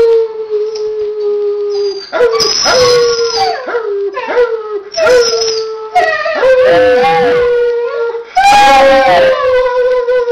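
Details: Pet dog and a person howling together: repeated drawn-out, wavering howls, some rising then levelling off, overlapping one another with breathy noisy bursts between phrases.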